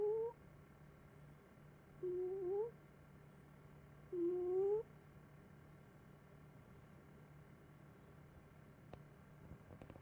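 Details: Sleeping cat Puffy-kins snores with thin, whistly upswept squeaks every two seconds or so, three breaths in a row, then quiet with a faint low hum and a couple of soft clicks near the end.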